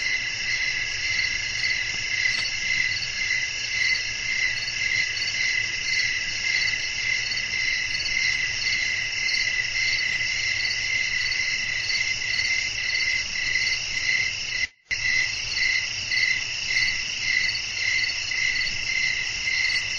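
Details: Crickets sing through a calm night, a continuous bright chorus beating steadily about twice a second; a brief total silence breaks it near the end, with gentle wind noise throughout.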